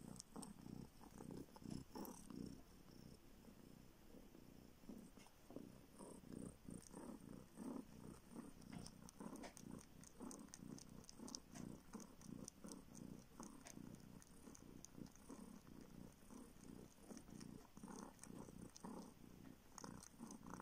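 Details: Long, continuous low purring from a baby kitten sucking a finger in search of milk, a former street cat now living in northern Siberia, with soft clicking suckle noises throughout.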